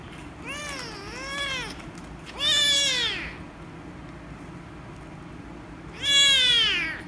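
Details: Angry rescue kitten meowing loudly when petted: three rising-falling meows, the first a double wavering cry, then two loud arched calls about three and a half seconds apart over steady low room hum.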